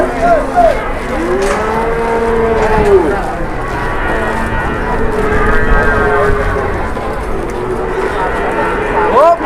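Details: Cattle at a market in Indonesia, a long, low, drawn-out moo with rising and falling tone, followed by further moos, over steady crowd chatter and background noise.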